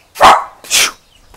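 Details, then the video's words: Dog barking at a home poultry yard where giant Índio Gigante chickens are kept, Brazil: two sharp, harsh barks about half a second apart, the first lower and fuller, the second brighter, followed by quiet background. "O cachorro tá latindo aqui, ó."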